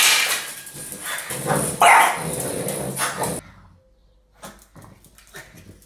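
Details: French Bulldog Apple attacking a broom while someone tries to sweep, a one-eyed Chug named Gus occasionally joining in; a few barks and growls over scraping for three seconds, then near quiet with soft brushing.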